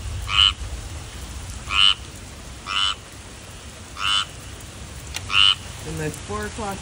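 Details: Tree frog calling with five short, bright, nasal croaks at uneven gaps of one to one and a half seconds. A brief lower, wavering sound follows near the end.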